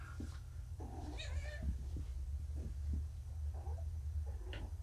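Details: Drunk-seeming kittens home after being neutered, wobbly on pain meds and waiting for food indoors; a strong wavering meow in the middle, framed by softer short mews and thuds, steady background hum.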